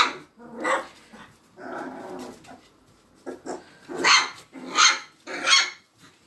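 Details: Young Magyar Vizsla puppies squabbling: a low growling stretch, then a run of three sharp, bright puppy barks roughly a second apart.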